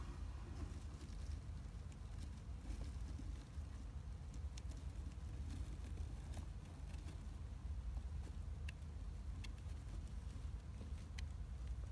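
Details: Steady low rumble like a passing vehicle or machinery, with scattered faint clicks and ticks throughout and no animal voice.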